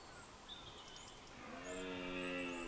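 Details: At dawn during the rut in a Scottish glen, a deer gives a deep, drawn-out, throaty roar at rival deer over a hissing background, with small birds in the dawn chorus.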